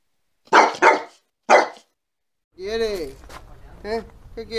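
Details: A dog gives two quick, harsh barks and a third shortly after, followed by higher, wavering whine-like or vocal sounds.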